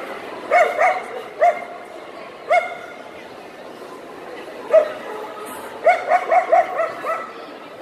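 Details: Wirehaired male Ibizan Hounds at the Swedish Winner dog show in Stockholm on 18 December 2009. Sharp, ringing barks come singly at first, then a quiet gap, then a quick burst of about five barks near the end. Faint hall murmur continues underneath.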